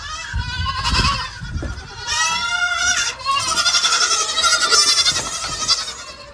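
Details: Baby goat kids bleating while drinking from milk bottles; several wavering, harmonic-rich bleats overlap almost continuously, rising and falling, loud and close.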